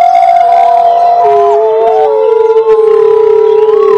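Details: A pack of gray wolves (Canis lupus) howls together in a chorus, long wavering tones overlapping and sliding in pitch.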